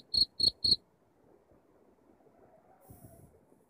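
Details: Cricket chirping, played at home to drive away rats: three quick, bright, high chirps about a quarter second apart in the first second, followed by near silence with faint low rumble and a brief high hiss near the end.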